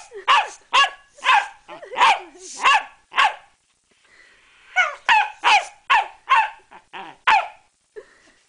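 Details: A female Pembroke Welsh Corgi gives rapid, sharp, high barks in two quick bouts while attacking a bicycle pump.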